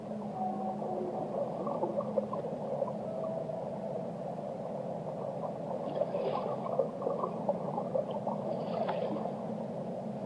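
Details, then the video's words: Whale song underwater, opening with a drawn-out low moan and a few higher tonal notes, then scattered clicks and crackles against a steady rushing water hiss. "Relaxing Whale Songs"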